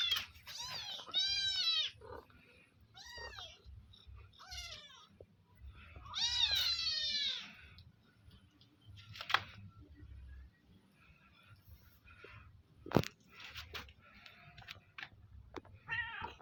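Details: Village cats mewing while being fed sausage: a run of quick, rising-and-falling meows at the start, more arched calls around the middle, then sharp clicks and a final short mew, over a steady low hum.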